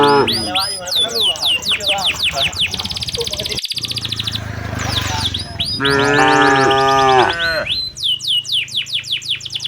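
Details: Tame cows heading to their shed in the afternoon as a herder drives them along: high, quick bird chirps fill the first seconds, then a loud, rich moo lasting about a second and a half sounds before the chirping resumes.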